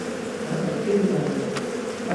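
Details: Steady, dense droning of many honey bees around a hive being cut open for honey inside a house, a continuous low hum with small swells in loudness.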